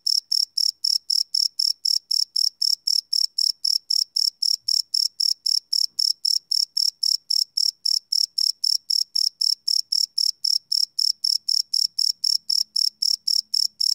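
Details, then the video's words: Crickets at night, live field recording on a Sony PCM D100: regular high-pitched chirps repeating about four per second without pause, very faint low hum late on. "Cricket Chirp Sound - Cricket Sounds at Night"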